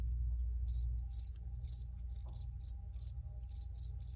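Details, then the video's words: Recorded crickets chirping: clipped, high-pitched pulses in pairs and triples, roughly three to four per second, starting after a short pause, above a constant low rumble and a faint thin tone. "Free Cricket Sounds for Re-Use or Relaxation"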